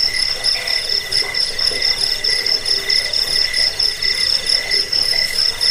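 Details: Shrill cricket trills used against rats, for sleep and for bird song training; pulsed chirps repeat roughly one and a half times per second, high and ringing, with faint lower warbling notes underneath.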